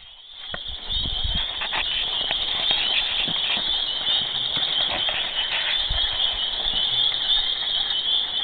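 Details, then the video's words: Frogs calling in a loud mating chorus, heard day and night: a dense, continuous high-pitched trilling wall of sound with shimmering overlapping pulses, holding steady throughout, with faint low rumbles beneath. "Horny Frogs"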